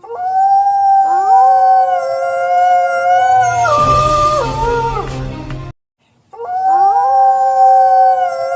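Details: A gray wolf pack howls together at night in long, sustained, overlapping tones that rise and waver.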